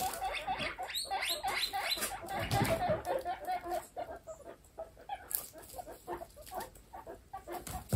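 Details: Young pet guinea pigs in a large group squeak and chirp in a tangled, fading chorus, quick wavering notes thinning out toward the end, with rustling and scratching of bedding.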